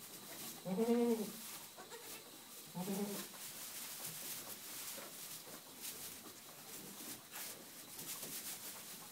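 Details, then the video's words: Boer goat kids from a Bavarian, German breeding herd, born 2011/12, at play: a loud quavering bleat followed two seconds later by a shorter, softer one, then only low background rustle and hiss. "Boer Goats playing Kids Germany Burenziegen young Boers"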